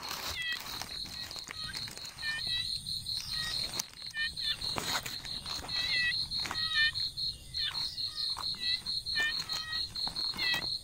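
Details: Baby frogs in a natural setting, giving short, clipped chirps that drop slightly in pitch, often in quick pairs or triplets, scattered irregularly over a steady, shrill high insect trill that runs throughout.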